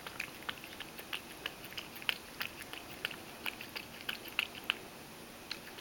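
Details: Ragdoll cat named Mojio drinking milk and spilling a lot. Sharp little wet taps follow each other about every third of a second, a few standing out louder, with quiet indoor hiss behind.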